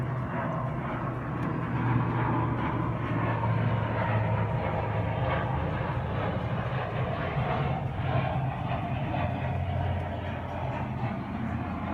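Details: A steady low mechanical rumble fills the recording, like a moving vehicle or train. No animal sound can be picked out.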